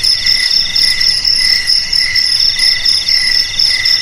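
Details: Continuous cricket trilling meant to keep rats away from houses, garages and rice fields: fast, bell-like pulses at several high pitches blend into a constant shimmering chorus with soft swells in volume.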